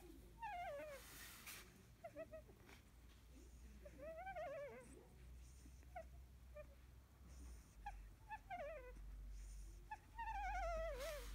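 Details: Field-bred Labrador Retriever pup, sixteen days old and sleepy after nursing, lets out soft, scattered whimpers, thin and quavering, some dipping in pitch, against low rumbling background noise and occasional rustles.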